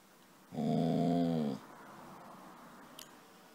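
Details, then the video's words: Casy, a pet dog wanting to be petted, lets out a single drawn-out harmonic moan lasting about a second, steady in pitch, followed by quiet indoor room hum and a faint click. "Dog Casy wants to be petted"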